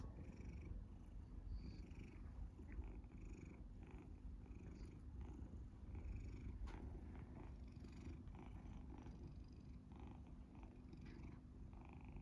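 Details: Matisse, a big golden tabby Scottish Fold cat, purrs loudly while being teased and played with. A continuous deep, even rumble runs throughout, with faint soft scratching and handling sounds over it.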